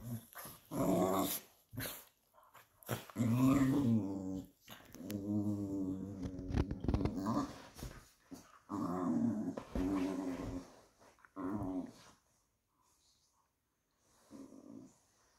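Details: Patterdale Terriers, a pair of fell terriers, growling while play-fighting inside; repeated rumbling, harmonic growls in bursts of one to two seconds, interspersed with snorts and clattering scuffles, fading to quiet near the end.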